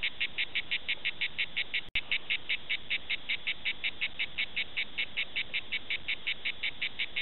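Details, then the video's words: A grey cicada (Cicada orni) sings in southern France in rapid, evenly spaced buzzy pulses, about five each second. "Concert à La Cigale Prades Cicada orni"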